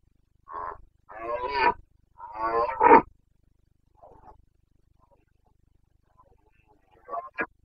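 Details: Carpathian red deer stag roaring in the Bucovina rut, September 2022: three escalating hoarse bellows close together, a faint distant roar, quiet pause, then two brief grunts at the end.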